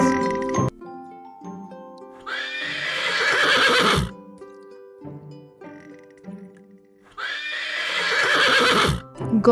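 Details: Horse neighing in a children's farm animal sounds lesson: two loud, shaky whinnies about five seconds apart, each starting high and falling away, over gentle background music.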